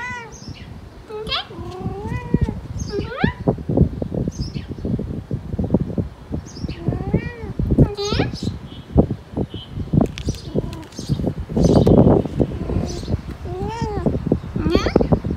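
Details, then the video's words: Persian cat in heat giving a series of drawn-out, wavering meows that rise and fall in pitch, several close together, over steady low rumbling and what sounds like human speech. "Lovely Persian Cat In Heat Sounds"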